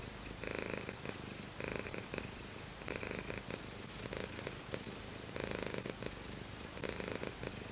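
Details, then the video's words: Pet cat purring steadily, the rumble swelling in regular breath cycles about every one to one and a half seconds, with quiet pauses between them. "ごろごろしろ Cat purr"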